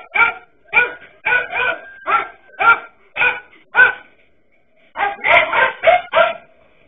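A dachshund barks in a steady run of sharp, ringing barks, pauses, then bursts into a quicker flurry.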